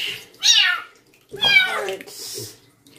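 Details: Female stray kitten from a construction worker's family, having her first bath at night: two loud, high, wavering meows about a second apart, then a hissing sputter; a woman's voice is heard faintly.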